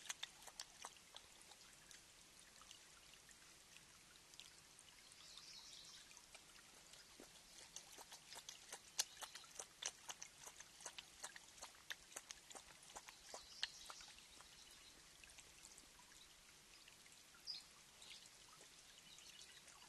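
A mountain lion drinks, its tongue making quick wet laps and splashes against the water.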